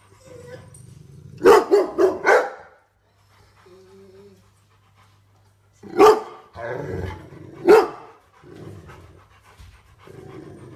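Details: Rottweiler at home, apparently reacting to little intruders in the house, lets out a quick run of three barks, then two more single barks several seconds apart, with panting and soft low noises between.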